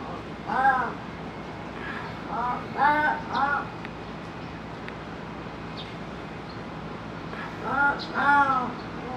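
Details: Pallas's cat El at Higashiyama Zoo and Botanical Gardens, Nagoya, calling earnestly as if appealing to Honey: short harmonic yowling calls in clusters of two or three, near the start, around three seconds and again near eight seconds, over a quiet hum.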